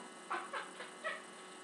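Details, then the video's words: A chatty house cat perched on the stove snaps with four short, tonal mrow-like calls in quick succession, the first two strongest, against a low constant room hum. "TALKING CAT who snaps on the stove"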